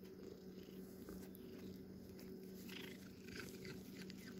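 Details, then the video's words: Domestic cat purring close up, a dense, even, low rumbling vibration that runs without a break, with faint light clicks and a constant background hum. "Not really ASMR (tho there is purring) My sweet cat"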